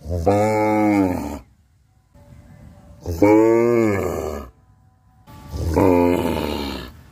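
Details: A cow in a village in Bangladesh gives three long, rich moos during its daily routine, each lasting about a second and separated by short pauses.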